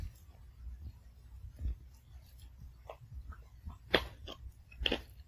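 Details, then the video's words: Indoors, a Pomeranian puppy chews its kibble one piece at a time; quiet uneven munching building to two louder crisp crunches near the end, with faint room hum. "특이하게 밥 먹는 강아지의 소소한 ASMR"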